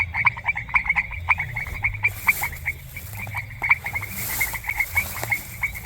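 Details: Frog chorus recorded in a semi-humid rural grassland: bursts of sharp rattling croaks repeated in quick runs by several animals, with brief hissing noise and a soft low rumble behind.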